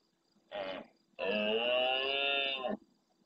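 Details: Large male red deer in the Doñana National Park marshes near El Rocío, Andalusia, Spain, roaring at nightfall close to a fixed camera to answer distant stags: a short grunt, then one sustained, harmonic, bellowing roar of about one and a half seconds.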